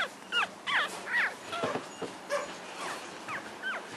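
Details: Week-old puppies of Chelsea squeal in quick, bent, rising-falling whines, several in the first second and a half and then sparser, thinner ones, with some low bumps and handling noise between them.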